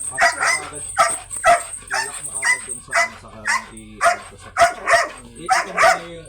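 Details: Belgian Malinois, an aggressive stud dog, barking steadily around twice per second in loud harsh bursts, with a person's voice partly mixed in.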